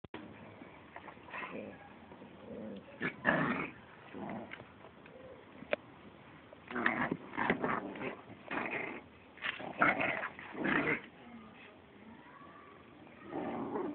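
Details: Young American Pit Bull Terrier named Terra, playing indoors with another pit bull named Gabi, gives short rough growls and snarly yaps in bursts, with longer runs of growling between quieter gaps.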